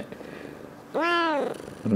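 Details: A domestic cat in conversation with its owner, filmed 21 February 2018, utters one small, gentle "coo" of about half a second, tonal and softly falling at the end. A brief low voiced sound begins just afterwards in the quiet room.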